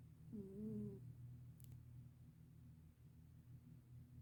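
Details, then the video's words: Black senior cat asleep and snoring: one short, voiced, wavering snore near the start, then a soft continuous low rumble of breathing. "Sweet Black Cat Is Snoring Up a Storm"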